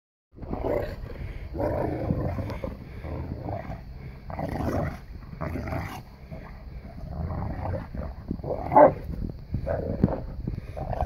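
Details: Boerboels Jade and Odi play fighting with their son Crusher in snow; rough, broadband growls and huffs come in bursts about every second or two, with scuffling between them.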